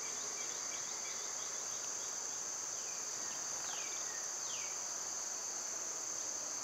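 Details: Summer cicadas, loud at this time of year, hold a steady high-pitched electric drone without a break, while birds add a few thin, falling whistled slurs in the background.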